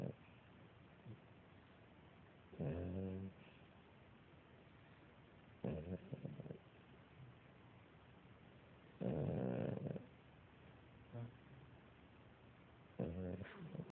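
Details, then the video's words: Sleeping female beagle puppy resting on her mother, snoring in four raspy, low-pitched bursts spaced about three to four seconds apart, the third longest at about a second, with quiet breathing between them. "Snoring beagle puppy"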